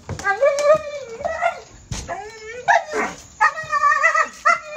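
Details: Excited dog in zoomies, pulling its person along on rollerblades: high harmonic whines and yelps that rise and fall, in bursts of about a second, with a human voice giving commands alongside.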